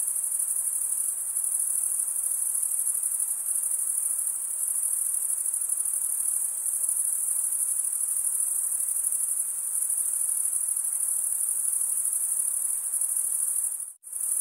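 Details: Chirping crickets, the males rubbing one wing's toothed vein against the other, make an unbroken, very high, buzzy trill with a rapid flutter. It runs evenly until a brief dropout near the end. The setting is quiet otherwise.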